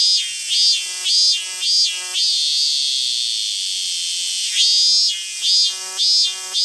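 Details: Cicadas in Ibaraki, Japan, possibly among robust, evening, kaempferi, large brown or minmin cicadas, call in loud buzzing pulses over a steady high-pitched drone.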